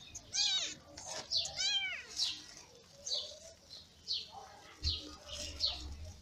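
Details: Lady Ginger's newborn kittens, born in May and nursed by their mother, cry in a steady series of piercing, wavering mews roughly every half second to second, some with a bent, quavering pitch, plus a brief low thump.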